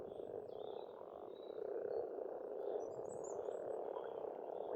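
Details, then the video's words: Continuous spring croaking of a frog chorus from a pond in Estonia, rising slightly in loudness after two seconds, with faint high bird twitters and a brief whistle overhead. "пение птиц и лягушек"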